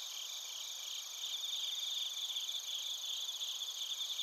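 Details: Chorus of bell crickets and crickets recorded in Narita, Chiba, Japan, using a TASCAM Portacapture X8. High, shimmering trills layered over one another, with a brighter pulsing chirp rising in the middle and continuing to the end.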